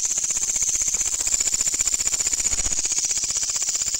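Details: Katydid heard at night during insect hunting, its loud call a fast rhythmic pulsing buzz, shrill and high, with clearly separated rapid beats and a soft low knock midway.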